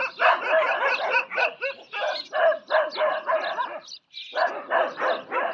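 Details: Fighting desi dogs bark and snarl rapidly, roughly three outbursts per second, with a brief silence then a high yelp before the harsh barking scuffle continues.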